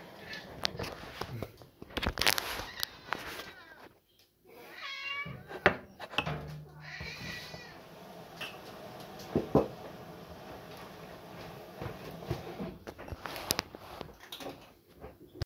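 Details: Cats being fed give a few short harmonic meows, rising then falling, in the middle of the clip. A voice speaks, and clattering and rustling of feeding sounds are heard throughout.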